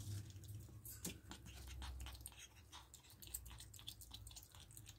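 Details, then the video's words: Indoor pet ferrets chewing raw meat, rabbit carcass, chicken neck and beef: dense, wet crunching and biting in quick succession over a low room hum, with a sharp snap early on. "Ferret ASMR | Rabbit Carcass, Chicken Neck & Beef"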